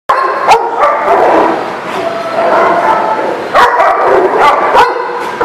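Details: Many dogs at a busy kennel lot, a dense chorus of overlapping barks and yips forming a constant din, with a few sharper barks standing out near the start and toward the end.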